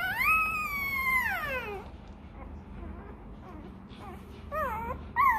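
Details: Hungry Rottweiler puppy crying to its mother for milk: a long, loud, high whine that holds steady then slides downward, followed by quieter short wavering whimpers and a few rising yelps near the end, with low background hum.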